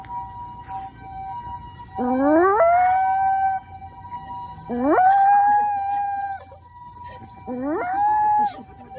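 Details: Toy Poodle named Latte howls in a park dog run in response to a passing ambulance siren, as nearby owners laugh. Three long rising howls climb and then hold steady, each lasting over a second, over the siren's steady tone.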